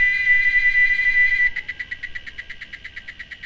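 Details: Cicadas singing: a loud, steady shrill whine for about a second and a half that breaks into a quick series of rhythmic buzzy pulses, fading gradually.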